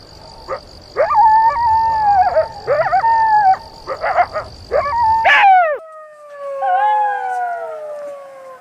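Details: Jackal giving several short, abrupt yelping wails, then one long, drawn-out howl that starts high and slowly slides downward for about three seconds. A steady thin high tone sounds in the background until the long howl.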